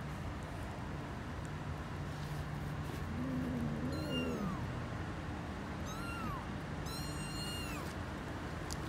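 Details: Mother cat and kittens: a low wavering meow is followed by three thin, high, short mews descending in pitch, heard over loud low rumbling background noise.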